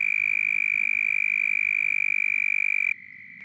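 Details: A male southern toad calls during mating season, giving a loud, high, buzzy trill held steady for about three seconds; calling males inflate a vocal sac and have a thickened dark throat patch.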